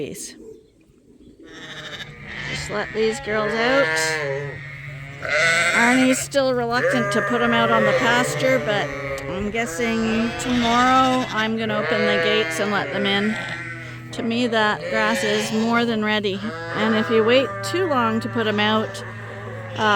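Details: Sheep at Ewetopia Farms during daily chores: a flock's chorus of overlapping, wavering bleats, many voices calling at once almost without pause after a quiet opening, over a steady low hum.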